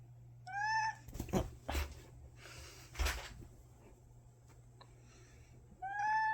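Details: Pet cat indoors, approaching and crying before lunging to attack: two short meows, one at the start and one at the end, separated by thumps, rustling and a low household hum.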